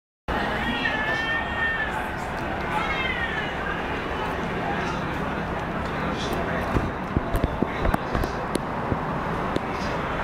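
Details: A basement cat gives two drawn-out, wavering, high cries that sound like a crying child, both within the first few seconds. Steady broadband noise, scattered clicks and faint speech fill the rest.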